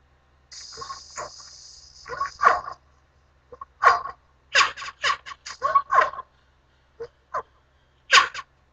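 An orangutan gives a series of rough, breathy calls in irregular bursts about a second apart.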